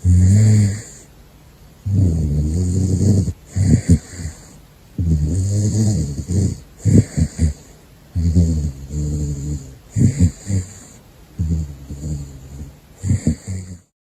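A caracal snores in deep, rumbling bursts, each breath a low rattling growl repeating every few seconds.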